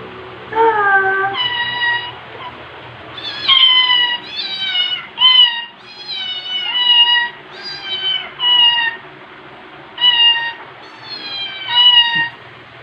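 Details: Rescued white cat Margaret, female, orange-marked on head and tail, a former shy street stray: about a dozen clear, high meows, each bending down in pitch, repeated roughly every second with short quiet gaps.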